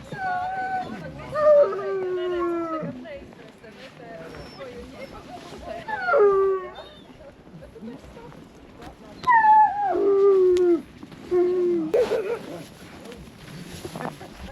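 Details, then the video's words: Siberian Husky sled dogs at a winter sledding tour near Ogre, Latvia, around -13°C, give several drawn-out, falling, wavering howls in separate bursts, with people talking and laughing nearby. "Playing with Husky Sledge Dogs in Latvia"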